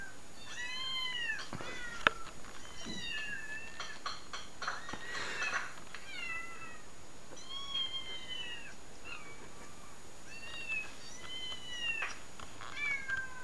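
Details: Compilation of cats meowing played indoors while a pet cat watches; repeated loud, tonal meows with rich harmonics, mostly arching then falling in pitch, coming in quick succession, with occasional taps and a sharp click.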